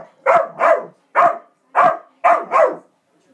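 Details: Kerry Blue Terrier pet dog, tormented by a squirrel, barking in short, harsh bursts, mostly in quick pairs, six barks within about three seconds with brief silences between.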